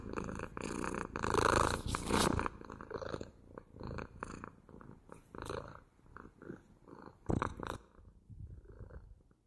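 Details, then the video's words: Purring house cat recorded up close, a loud rumbling purr rising and falling with inhale and exhale, strongest in the first seconds then softer, with brief handling noises. "ASMR МУРЧАНИЕ | ПОЛЧАСА МУРЛЫКАЕТ КОШКА!"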